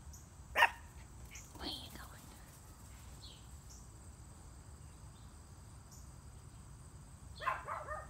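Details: Chihuahua named Riley playing fetch in the garden: a single sharp, loud bark near the start and a second burst of barking near the end, with a man's voice talking between them and steady faint insect hiss throughout.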